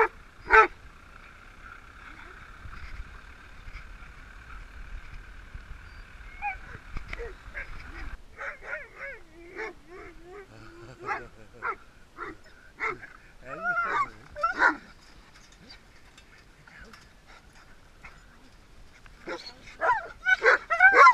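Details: Several dogs greeting their owners, who are back after 3.5 weeks away. A long, steady, high whine comes first, then a burst of short, excited yelps and whimpers, rising and falling, with a few louder cries at the end.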